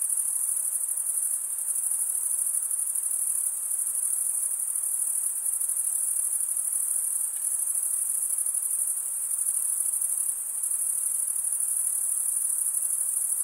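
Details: Chirping crickets, their stridulation made by scraping wing against wing. A continuous high, thin ringing drones on evenly with a rapid shimmering pulse, broken by no gaps. There is no wind, voices or other animals.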